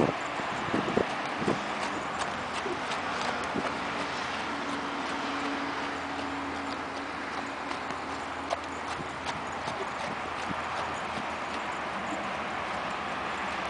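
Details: Arabian horse working in a figure eight, muffled hoofbeats repeating at roughly eighty per minute in an uneven rhythm, with a steady low hum and broadband hiss behind.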